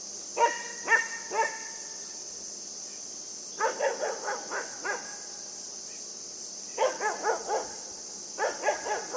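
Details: Puppy playing with a buck outdoors, barking in quick bursts of three or four sharp, harmonic yaps, the groups separated by short pauses, over a steady high-pitched hiss.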